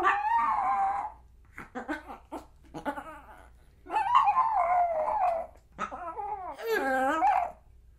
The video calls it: POMERANIAN DOG SOUNDS